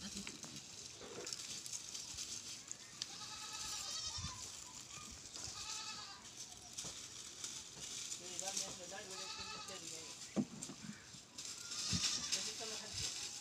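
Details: Goat bleating on a farm, several wavering, quavering bleats with stacked overtones from about 3 to 9 seconds, mixed with human voices and a hissing background.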